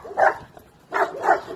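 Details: Young Chinese Red Dog during bite work in the UK, giving two short, harsh barks about three-quarters of a second apart.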